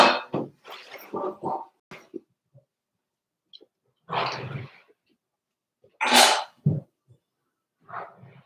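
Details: Daisy's Cavalier King Charles Spaniel puppies, four weeks old, in their indoor pen: rough, breathy grunts and squeaky yelps come in scattered bursts, some louder and hissy, separated by short silences.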